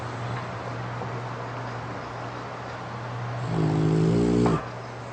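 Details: French Bulldog sleeping with eyes open after tiring itself out playing, lips puffing with each snore; one droning, buzzy snore lasting about a second over a steady low hum and hiss.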